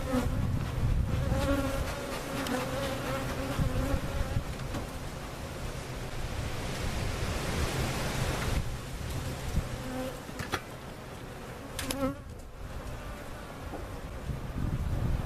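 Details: Relocated cutout-hive honey bees at Jerome Bee Farm, Central Oklahoma, hum steadily in a low drone for the first seconds; a burst of broad rushing noise then partly covers the buzzing before it returns, with one or two short thuds.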